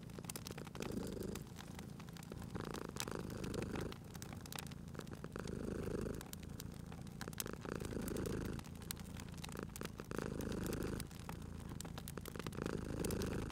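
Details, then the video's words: Sleeping cat purring contentedly at a crackling fireplace, spring ambience. Rhythmic rumbling purr, louder on alternating breaths, repeats about every two to three seconds beneath persistent crackles and pops of burning wood. "Cute Purring Cat at a Crackling Fireplace"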